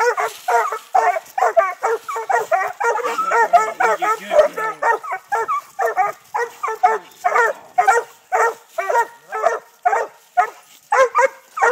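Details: Six-month-old Treeing Walker pups barking treed on a trapped raccoon during Texas hunting training; dense overlapping barks at first, thinning into evenly spaced single barks about every half second.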